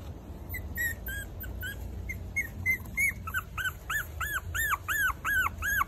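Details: Four-week-old Maltese puppies giving high, arched whining yips. They start thin and scattered, then become a steady run of rising-and-falling cries about three per second, growing louder toward the end over a low background rumble.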